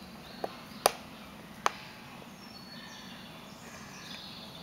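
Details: Spotted hyenas at Tierpark Berlin zoo crunching bones, heard as a few sharp, dry cracks over a quiet hiss.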